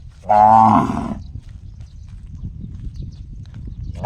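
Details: A single loud, ringing, harmonic cow call, likened to a gong, lasts under a second. Low background rumble follows, and another cry begins at the end.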